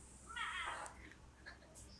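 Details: Domestic cat returning to its new home, giving a single soft, short meow with a slightly falling tone, quiet against a low background hum.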